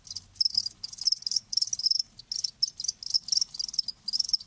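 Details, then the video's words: Live crickets producing shrill chirps in distinct bursts about every half second, each burst a quick buzzy pulse train, with a faint low rumble underneath. "Live Crickets 60min "Natural Sound""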